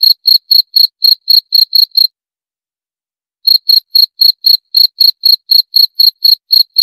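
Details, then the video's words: A cricket trills out quick, high, ringing chirps about four per second, stops for roughly a second and a half, then resumes at the same pace; otherwise silent. "20 Menit Suara Jangkrik - 20 Minutes Cricket Sound Effect"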